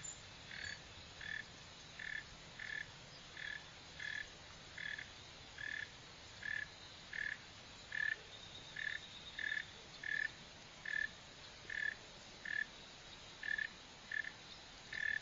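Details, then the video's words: Steady chirping of a Northern mole cricket, Neocurtilla hexadactyla: some twenty brief, narrow-pitched buzzy pulses at a regular pace, slightly stronger toward the end, with quiet background hiss. "Mole cricket | Digging, Running | Sound | Northern"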